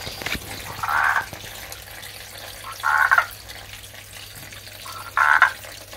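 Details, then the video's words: Male Andean marsupial tree frog calling for a female, though a male red-eyed tree frog is also calling. Three short, hoarse, mid-pitched croaks come about two seconds apart over a faint steady hum. "Rare Marsupial Tree Frog call / Sound"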